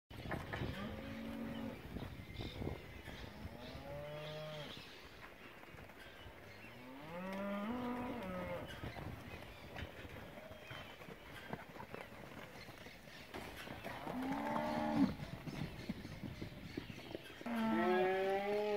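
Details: Angus calves, a herd of fifty (25 males, 25 females, about 200 kg each), awaiting auction on 21 December at Junín; several overlapping drawn-out moos from different calves, rising and falling, with quieter gaps and steady background murmur between calls.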